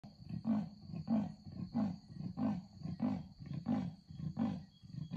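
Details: Wild leopard passing at night in front of a room at Talek Bush camp, giving its rasping sawing call: deep hoarse grunts repeated steadily about every 0.6 seconds, with a steady insect-like hum in the background.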